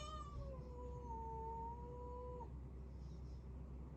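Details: Rescued tuxedo kitten meowing once: a drawn-out tonal cry lasting about two and a half seconds, starting higher and settling to a steady pitch before cutting off, followed by quiet room hum.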